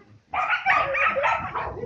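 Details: Young male Samoyed, five months old, called Yasha, protests while being stood for show posing: a near-continuous, grumbling, yappy vocal stream of bark-like bursts and whines lasting under two seconds, indoors with a handler speaking.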